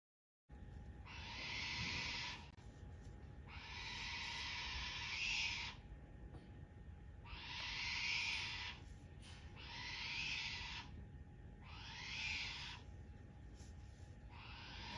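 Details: Wombat Momoko, seemingly angry, calls outdoors at Chausuyama Zoo on March 7 in warm weather, with Wallace also out. She gives rough, breathy hissing bursts about two seconds long, repeated roughly every two seconds, over a steady background hum.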